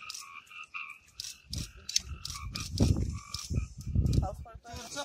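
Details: Forest frogs in the Amboli hills of Sindhudurg give low, grating croaks that swell in two loud bursts, while a chorus of steady, high ringing notes from other forest creatures starts and stops behind them.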